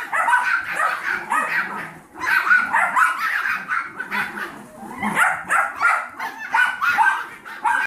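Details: A litter of 7-week-old Yorkie foster puppies alongside Trouble, a 15-week-old Golden Retriever mix foster pup. High, rapid yapping comes in dense bursts that rise and fade every couple of seconds, several puppies calling at once.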